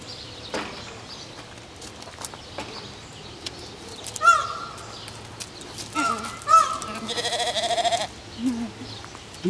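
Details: Goat-like deer eating peanuts from a woman's mouth give several drawn-out, wavering bleats, one long quavering call lasting about two seconds, with short sniffs and human voices faintly mixed in between.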